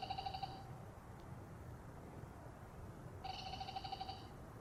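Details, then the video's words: Male black-spotted pond frogs call in a loud group chorus. Two brief pulsed, rattling trills, each under a second long, stand out over a faint steady high hum and low rumbling background. "참개구리의 떼창 클라쓰 (웃음 나오는 참개구리 예능+다큐 우렁찬 울음소리 주의)"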